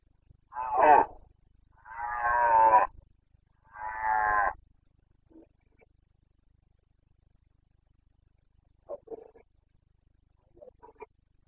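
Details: Boncănit, the breeding-season roaring of a wild Carpathian stag in Bucovina, late September 2022; three strong grating roars in quick succession, the middle one longest, then quieter, distant answering grunts.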